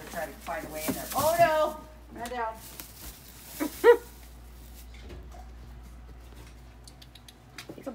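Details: Baby Java macaque playing and chasing a young green monkey indoors in a hotel, giving meow-like calls: a few short wavering cries early on, then one brief sharp squeak, with a woman talking and room noise.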